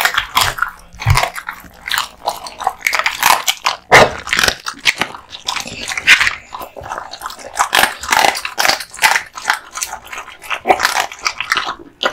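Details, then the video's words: American Bully (Pit Bull) male eating raw meats and bones: loud splintering crunches and biting snaps in quick irregular succession, wet smacking chews between them, a few heavier cracks, recorded in a small indoor room. "Dog eating Raw Meats ＆ bones 【American Bully】"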